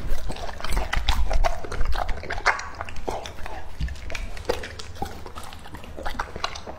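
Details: Male English Labrador, two and a half years old, feeding on raw meat, giving moist slurping and squelching bites with scattered sharp crunches at an uneven pace, plus a steady low hum underneath.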